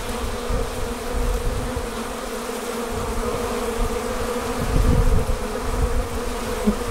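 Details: Honey bees forming a swarm as they depart the hive: steady harmonic humming over a rumbling low-frequency background, swelling louder briefly toward the middle.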